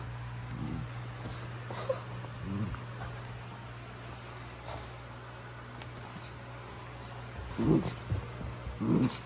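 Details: Basenji named Prisca, a female putting on a tough act with wild-dog-style squealing during play with Dabi; short harmonic whimpers and squeals come in scattered bursts, strongest near the end, over a steady low hum.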